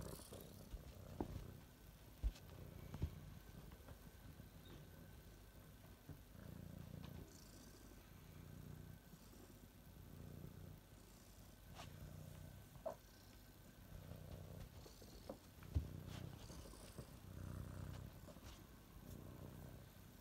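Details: A pet cat's purr, soft and low, rising and falling in repeated breath cycles roughly every second, broken by occasional sharp clicks and small licking or rustling sounds in a quiet room.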